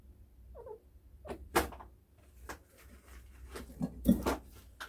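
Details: Pet chinchilla indoors in the morning, making sudden strange hiccup-like sounds during house cleaning: brief soft jerky pulses repeating roughly every second, after a faint squeak at the start, in a quiet room.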